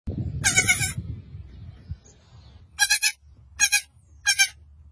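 A lamb bleats in short, quavering bursts, with a low rumble of handling noise at the start.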